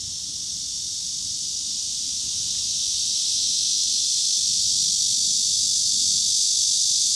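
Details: Chorus of large brown cicadas and Cryptotympana atrata in Kanazawa, Japan, 2013: a steady, shrill, continuous buzzing drone that swells slightly louder toward the end, with no other sounds standing out.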